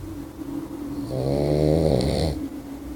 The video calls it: Puppy Boxer Snores. Sound!!!!